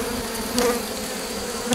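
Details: Honey bees buzzing at an opened drone-laying hive, 3 May 2021, during a rescue with a brood frame and nurse bees from a neighbouring hive; a loud even drone with stacked tonal bands, two brief clatters of handling.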